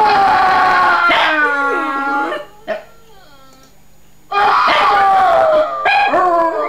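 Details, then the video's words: Dog howling in response to sound effects: long tonal, wavering howls with rich harmonics, a drawn-out bout, a short quiet gap with a faint brief note, then a second loud howling bout with slight pitch slides. "Funny Dog howling to sound effects"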